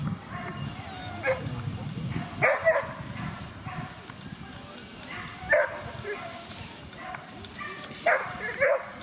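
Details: Barking from whippets at the 2017 Twin Cup race in Latvia, featuring Weikotin Superpuma and Besties Wasabe. Isolated yelping barks, some doubled, break through a noisy background of human voices and murmur.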